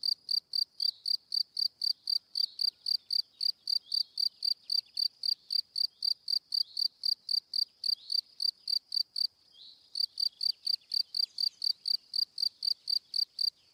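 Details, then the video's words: Cricket chirping, steady pulsed chirps about four per second at a high, narrow pitch with bright overtones, briefly pausing near the ninth second before resuming; no other sounds heard. "Cricket Sound - Cri Cri - Cricket Singing"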